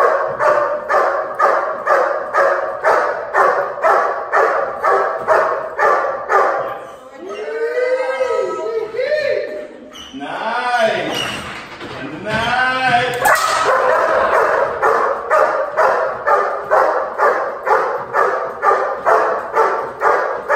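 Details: Dog in protection training on 20 January 2019, giving steady, forceful barks about twice a second, broken in the middle by people talking and scuffling before rapid barking resumes.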